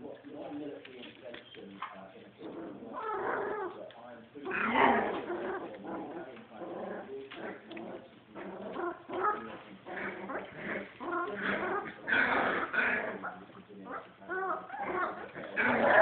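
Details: Puppies three weeks and six days old, indoors, giving bursts of high, thin whimpers and short yips that rise and fall in clusters every second or two, with human voices talking over them throughout.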